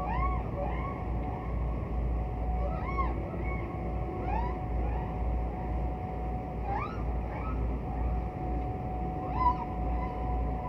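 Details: Distant humpback whale singing, from classic recordings of a 'Bel Canto' era of whale song: short upswept arching moans repeated in a loose series over a constant low sea rumble and a faint steady hum.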